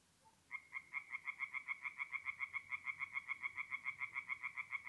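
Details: At a forest pond in north-eastern Italy on an April night, a single tree frog starts calling after half a second of quiet, giving a steady run of sharp, evenly spaced nasal croaks, about four per second.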